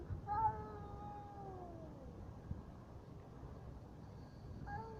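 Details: Cats in a fight: a long drawn-out yowl that slides slowly downward over about two seconds, then a brief quieter pause with low background rumble before a second yowl begins.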